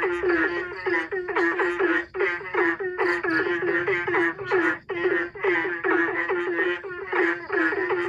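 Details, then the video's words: Several frogs answering each other in turn, like the beat of a song: quick, evenly pulsed nasal croaks pour out in a steady, crowded stream with only short dips between bursts. "Sungguh indahnya suara kodok ini saling sahut sahutan seperti irama lagu"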